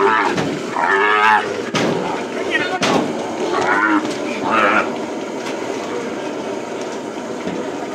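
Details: At Hato Las Carmelitas, calves being branded on the plains give harsh, quavering bawls at irregular intervals, mixed with sharp knocks, thuds and men's voices in a noisy corral.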